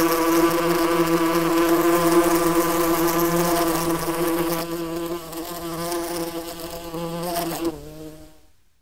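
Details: A swarm of yellowjacket wasps at their nest hums with a thick, continuous low buzz of layered droning tones; partway through the sound thins and wavers, then fades away.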